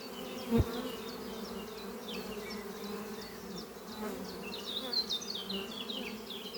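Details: Hive bees flying in and out under trees on a spring morning; continuous buzzing hum with louder passes as single bees fly close, a sharp click near the start, and bird chirps and twitters overhead.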